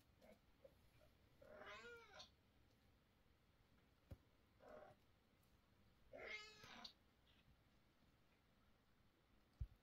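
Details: Mother cat tired of motherhood scolds her kittens with loud, wavering meows, one strong call near two seconds and another near six, a softer short call between, and a sharp tap at the end.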